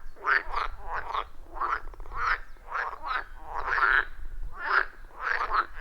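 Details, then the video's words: Wild frogs in a loud chorus around a forest pond, recorded with an iPhone 14 Pro and Shure MV88+: bursts of raspy, rattling croaks pulse roughly twice a second, overlapping voices, no music or talking. "30 Minutes of Frog Sounds at a Forest Pond"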